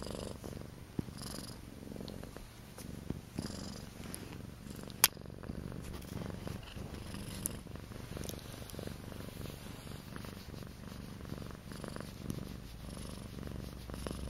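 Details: A soft, low purr rolls on without a break from Akari, a domestic cat filmed in her first two months at home, with a few faint clicks scattered through it and one sharp tap midway.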